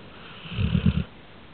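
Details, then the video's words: A pet dog snoring indoors: one low, rumbling snore lasting about half a second, rough and pulsing, with quiet room noise before and after. "he can snore"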